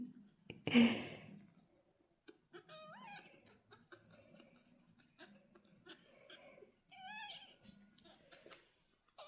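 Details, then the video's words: British Shorthair cats, two young golden kittens and their mother, indoors in a cattery during natural daily communication: short, rising, harmonic meows in two separate bursts, with a soft rustle and thump at the start and quiet room noise. "The Relaxing Sounds of Young Kittens and Mother Cat"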